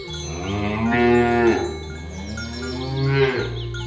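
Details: Village cattle herded through a rice field ditch toward their pen, lowing twice: drawn-out, harmonic moos that swell and fade, each about one and a half seconds, over steady background music.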